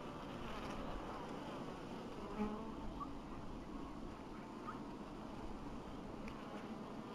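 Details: Continuous droning hum of honey bees in an apiary in 2012, low and even, with a few faint ticks scattered through.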